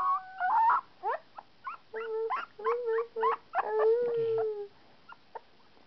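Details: A two-and-a-half-week-old male puppy howls: high tonal notes break into rapid short yips, then sustained wavering howls that slide downward, fading into scattered faint squeaks.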